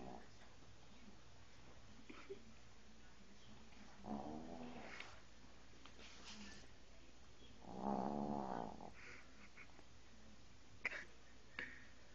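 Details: Sleeping dog Bingo snores as he twitches in his sleep, two louder buzzing, rattling inhalations a few seconds apart, the second longest and strongest, with faint soft snuffles between over a low room hum.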